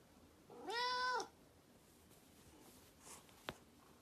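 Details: Grey Korat kitten giving a single clear meow, about half a second long, rich in harmonics, rising slightly then falling. It is followed by quiet indoor room tone and one sharp click.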